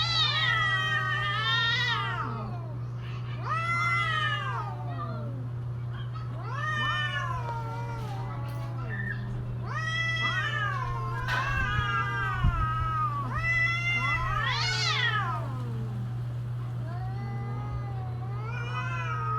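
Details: Cats yowling during mating season, about seven long wavering wails in succession, each arching up then sagging, some with a throaty low tail, a steady low hum running beneath throughout.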